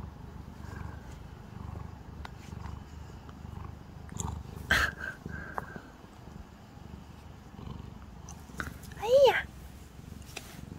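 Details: Grumpy calico cat while being brushed, low purring underneath, then a short whining meow that rises and falls near the end, with a person talking softly and handling rustles.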